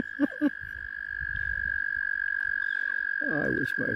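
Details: Many mating frogs around a kayak, tackling each other; a steady, high, pulsing trill holds throughout, and a man's voice breaks in briefly near the start and again near the end.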